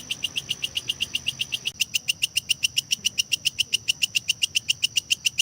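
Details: Kecek grasshopper chirping in a lovebird masteran recording aimed at lengthening and filling out a contest bird's song; piercing clicks repeat near four per second, growing crisper after a small jump in the sound partway through.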